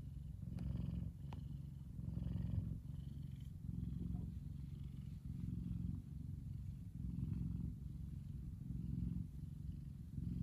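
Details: Kumba, a big male F2 Savannah cat relaxing in the sun, purrs steadily, a deep rumbling vibration pulsing in long, rhythmic cycles.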